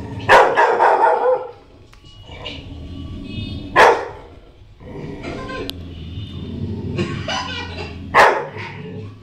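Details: A female Rottweiler puppy, scared while watching herself on TV, gives a few sharp, startled barks several seconds apart over faint music.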